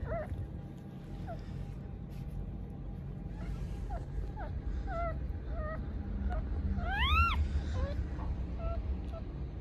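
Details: Mame Shiba newborns from a litter of three born December 19, two males and a female, squeak in short scattered chirps, one louder rising cry around seven seconds, beneath a constant low rumble and faint voices.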